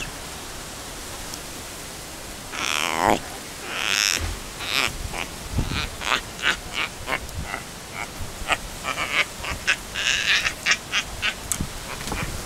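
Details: Young rescued Yucatan black howler monkey, a female named Tuli, crying and yelling in anger at other rescued monkeys of her new family: a run of short, sharp, harsh squeaky yelps, some bursts longer and broader, over a steady hissing background.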